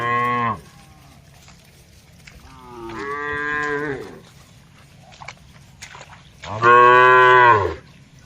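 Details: Dozens of tame cattle herded across open green land, calling to each other while grazing. A short moo, a longer, softer one, then a loud, full bellow close by near the end, with faint background noise.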